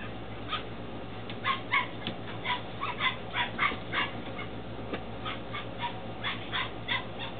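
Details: Ten-week-old Belgian Malinois Shepherd puppies in Williston, Florida, a litter born 2-16-2015: a run of short, high yelping yips and whines, roughly two per second, over a steady background hum.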